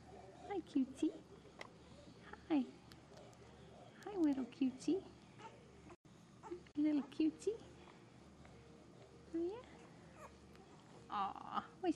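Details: English bulldog puppies raised on a ranch in Kansas, giving short, high squeaky whimpers in scattered bursts with gaps between, alongside a soft, cooing human voice indoors.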